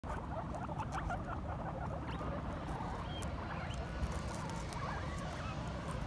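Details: Pet guinea pigs fighting aggressively give short, sharp squeaks over a steady scuffling, rustling patter.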